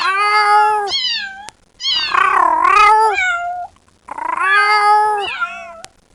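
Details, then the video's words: Kitten crying loudly for its mother: three long, drawn-out meows, each a rich harmonic wail that wavers and bends downward at the end, separated by brief silences, with a faint low hum underneath. "Gato Filhote Miando Chamando A Mãe"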